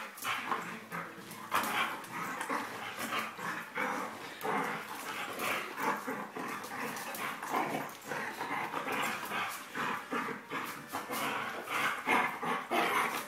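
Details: Border Collie playing roughly with a person, mock-fierce play sounds: rapid, harsh, noisy bursts repeating throughout, broadband scuffling and panting between them.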